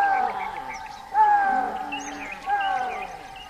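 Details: Three shrill, piping calls from an axis deer (chital), each a brief downward-sliding whistle that rings on afterward, repeated about every one and a quarter seconds.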